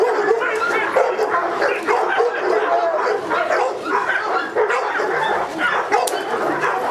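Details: A Presa Canario dog barking during a protection work test: rapid, harsh barks follow one another almost without pause, with people talking in the background.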